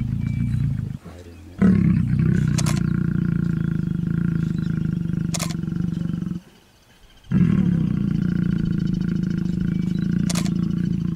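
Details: Lions mating at MalaMala: a deep, sustained rumbling growl lasting several seconds, broken by a short silence, then resuming, with faint clicks and a steady background hum.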